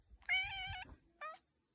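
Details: A farm barn cat outdoors by the chicken coop during a snowstorm, meowing back while its owner talks to it: one drawn-out, clear, harmonic meow followed by a short, sharper second meow.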